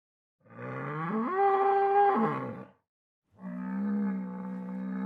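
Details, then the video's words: A bull gives two bellows: the first a rough low moo climbing sharply to a higher held note then dropping, the second a steadier, lower, hoarse drawn-out call after a short pause; no other sounds present. "ANIMAL SOUNDS : BULL"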